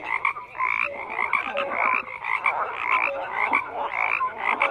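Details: Frogs croaking in a thick nocturnal-style chorus, raspy pulsed calls about once a second with scattered short tonal notes over a constant background.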